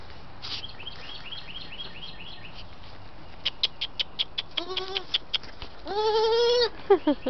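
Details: Six-week-old Saanen/Alpine cross goat kids, white females named Lily, Rose and Buttercup; faint chirps, then a run of rapid ticking clicks leading into short bleats and one long, loud, quavering bleat near the end.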